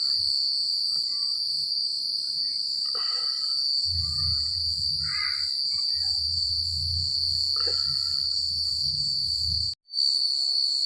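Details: Night chorus of crickets in a secluded rural setting: an unbroken high-pitched trill with pulsing overtones, a few short chirping notes from other callers, low wind-like rumble and a sudden brief gap near the end.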